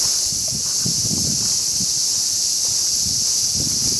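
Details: Cicadas singing in summer, a loud continuous high-pitched hissing buzz that holds steady throughout, with faint low rustling underneath.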